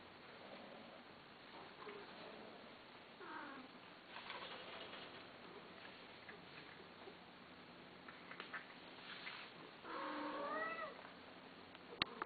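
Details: Cat meowing repeatedly, several drawn-out harmonic meows spaced a few seconds apart, one rising and falling cry stands out near the end, followed by a sharp click; steady low background hiss indoors.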